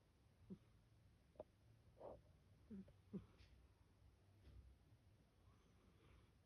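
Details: A sleeping black female cat makes soft sniffy, snuffling noises. About six short, faint nasal bursts are spread irregularly over several seconds against a quiet indoor background with low hum.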